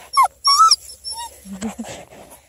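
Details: Coonhound puppies of a redbone and black-and-tan litter playing in a car; two loud, high, sliding yelps with bright harmonics, a shorter squeak, then lower grumbling growls.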